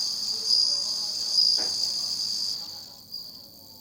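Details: Bell cricket song from 27 August 2020: a steady, high ringing trill with pulsing bright notes, fading away toward the end over a soft low background hum.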